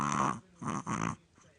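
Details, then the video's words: A very sleepy Chihuahua snoring while asleep: two rough, buzzy breaths, the first short and the second longer, each with a wavering harmonic rasp, then a faint softer exhale. "Chihuahua snoring"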